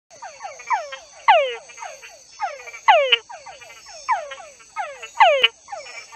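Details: Túngara frogs, nicknamed "pew frogs" and located by their noise and bulging vocal sacs, give falling, whining calls, several males overlapping in a steady chorus.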